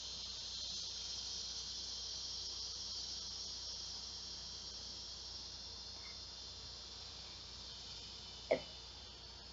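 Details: Ear-piercing drone of large male cicadas calling for mates at noon on a hot summer day, 2 August 2016. The shrill, even hiss holds steady throughout. A single sharp click sounds near the end.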